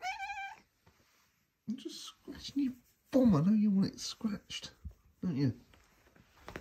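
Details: Female Maine Coon cat indoors in the morning, having a little chat while clawing the carpet; one clear, short, tonal chirping meow at the start, followed by a person talking to her at length in a small room.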